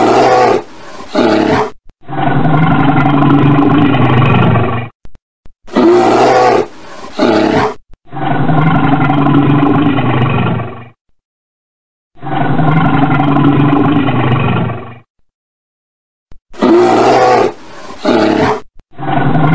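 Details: A red bear gives long, deep, rumbling roars, each lasting about three seconds.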